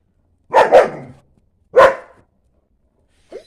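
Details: German Shepherd barking indoors: a quick double bark, then a single bark a second later, deep and rough, with silence between and a faint short sound at the end.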